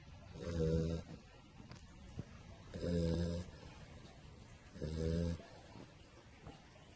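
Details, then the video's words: Sleeping pit bull puppy lying on its back, giving three rhythmic low snores, each lasting about half a second and coming roughly every two seconds, with soft breathing and faint clicks in between. "cane che dorme e russa - dog asleep and snoring"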